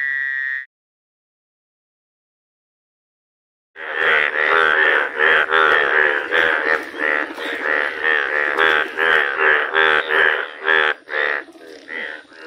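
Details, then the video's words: Frogs making unusual, rare sounds: after one short call and three seconds of silence, a dense run of harmonic, nasal, pulsed croaks begins, repeating about two or three times a second and overlapping like a small chorus. "Unusual sounds frogs make"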